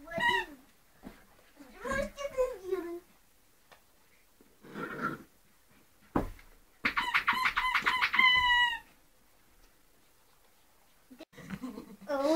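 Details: Scottish Terrier puppies, two months old, give harmonic squealing yelps, the loudest a sustained two-second wail near the middle, mixed with breathy noises and a human voice at times.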